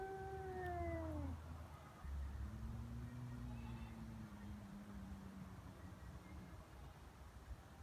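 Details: Feral cats threatening each other during a fight on Japan's Cat Day, February 22: a fading, falling yowl followed by a long, low, steady moan, with rumbling low background noise.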